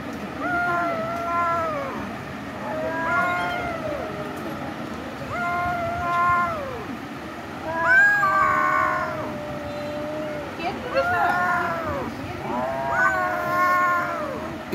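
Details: A cat meows repeatedly, roughly every two seconds. The meows are short and arched, with rising-then-falling tones. The calls get louder and more strained toward the middle, over a steady low background hum.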